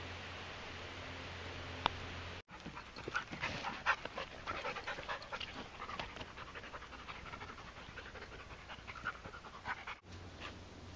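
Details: Dog panting during a Friday morning walk with Pippa, a Wirehaired Pointing Griffon, and Lola, a Jack Russell Terrier / Pomeranian mix: rapid, breathy, noisy puffs repeated steadily after a brief pause near the start, over low background rumble.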